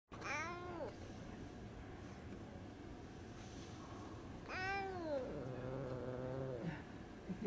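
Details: A Singapura cat observing its surroundings gives two drawn-out, harmonic meows: the first arches up then falls, and the second, about four seconds later, slides down into a longer low held tone. A quiet indoor hush fills the gap.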